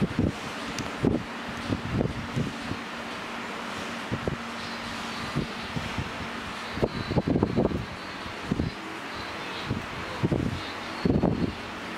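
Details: Outdoor wind buffeting the microphone with rustling and scattered handling thumps, a faint low hum running underneath, and no animal calls.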